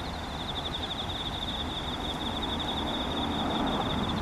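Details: Insects trill steadily in a high, pulsing chorus over a low background rumble on an autumn morning, 4 September 2017, with ducks, cormorants, herons and a passing train nearby.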